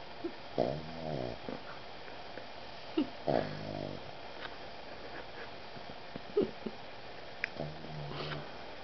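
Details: A Boston Terrier cuddled on a puffy vest snores in rough, rumbling breaths, each lasting about a second and coming every few seconds.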